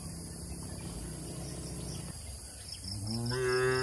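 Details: Tame cattle grazing among oil palms on an Indonesian plantation; a low steady hum and light insect chirps come first, then a deep, swelling moo begins and carries to the end.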